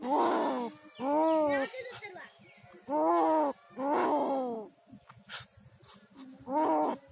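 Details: A badly dog-bitten street cat in Kishoreganj, Bangladesh, moans pitifully in pain: six long, wavering wails spaced about a second apart, with weak clicks and low background hum between them.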